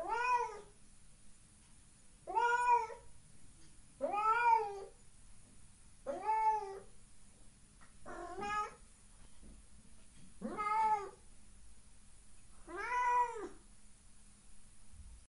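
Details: Housecat in a room calling persistently. Seven similar meows, each about half a second long, repeat roughly every two seconds against quiet indoor background hiss.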